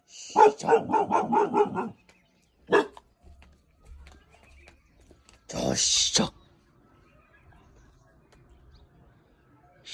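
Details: A 5-month-old Bhotia dog gives a quick run of sharp, hoarse barks, then a few more.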